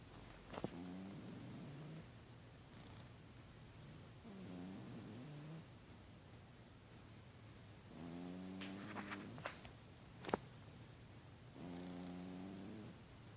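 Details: Holly, a pet cat, snoring quietly while asleep: four soft, low, rasping breaths with a faint tonal hum, each lasting one to two seconds and coming roughly every three to four seconds, with brief clicks and a steady room hiss between them.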